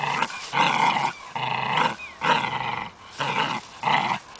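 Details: Growl of a German hunting terrier, five longer rough bursts with a slower rhythm, some carrying a brief rising squeal or whine at their ends, separated by short quiet breaths.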